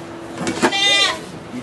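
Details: Goat bleat during the birth of two kids in a sugar shack in Quebec, Canada, recorded on an iPod Touch: one short, quavering, harmonic-rich cry, preceded by a brief excited French voice and low background hum.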